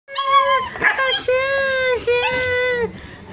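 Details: Hungry street puppies, Browny and Kabang among them, cry while looking for their mother. They give long, steady, tonal whines that hold one pitch with rich harmonics, broken by short breaths and a brief noisy rustle.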